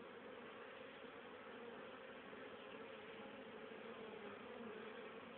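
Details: Busy honey bee colony in October 2010, bringing in plenty of pollen and nectar for winter stores: an unbroken, thick drone of countless wingbeats, faintly pulsing but otherwise constant, with nothing else heard.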